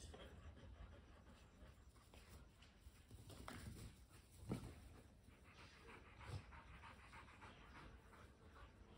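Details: Kelpie cross and Border Collie catching their breath during a tennis-ball chase, fast rhythmic huffing pants carried over a low background hum, with a couple of sharper bursts of breath midway.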